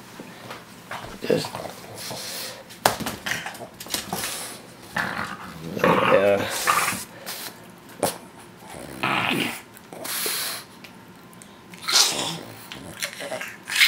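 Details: Chopper, a four-year-old male Boston Terrier, growls while sharing a chicken leg indoors. Low, rough growling bursts come and go over about fourteen seconds, interleaved with a person talking to him.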